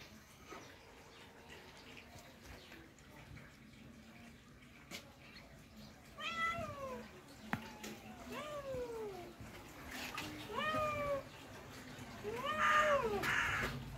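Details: A white cat among many cats, indoors; several clear meows from about six seconds on, each a drawn-out falling wail with bright overtones, repeated four or five times and growing louder, over low room hum.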